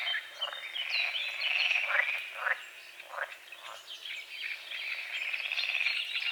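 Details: A dawn frog chorus on a small lake beside the forest, with misty water and water lilies. Clustered raspy croaks surge and fade in waves, while birds whistle and twitter steadily above.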